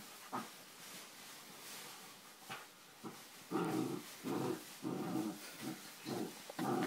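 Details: English Springer Spaniel puppy, four months old, playing on a bean bag. A few faint huffs come first, then a run of louder, throaty growls, each about half a second long, following one another in quick succession.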